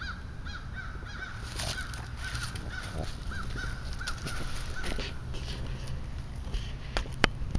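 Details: Frogs calling to mate at a small man-made pond in Western Pennsylvania in spring: short, hoarse, clucking notes repeated in a loose overlapping chorus for several seconds, over a steady low rumble, with a sharp click near the end.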